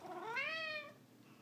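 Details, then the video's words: Ragdoll cat with a loud, rich meow that rises in pitch, holds, then slides down and fades, lasting under a second. "How Many Times Does Ragdoll Cat Charlie Meow in a Minute?"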